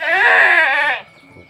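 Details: A single long, shaky bleat of about one second from a Boer and Sirohi cross goat on a village farm, cut off abruptly and followed by quiet.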